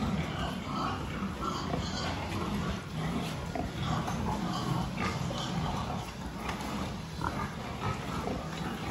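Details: Pigs in a farm building during a health check dated 26 October 2023, with dense low grunting and occasional higher squeals amid clattering and voices.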